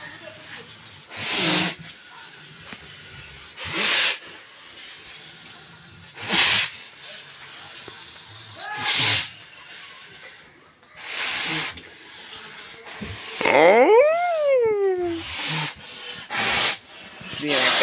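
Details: Senior bull from Narasapuram village snorting, forceful breathy blasts repeated about every two and a half seconds, with a brief rising-falling whistled tone near the end and quiet background voices.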